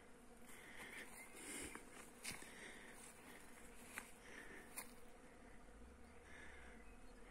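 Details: Western honey bees (Apis mellifera) working blossoms on flowering trees in a Romanian village give a steady, low droning buzz, with a few soft clicks and rustles.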